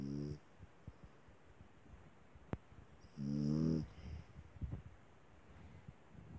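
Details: Sleeping small dog giving a short, throaty, buzzing snore, then another lasting under a second after a long pause. Soft breathy puffs and a single sharp click can be heard in the quiet room.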